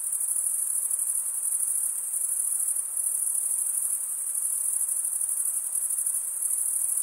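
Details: Male crickets chirping by stridulation, wing scraped along serrated vein; a sustained, very high, rapidly pulsing trill that gently rises and falls in volume, no other animals or noises.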